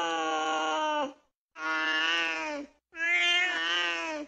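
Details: Cats mating: a cat gives three long, drawn-out yowls, each steady then sagging in pitch at the end.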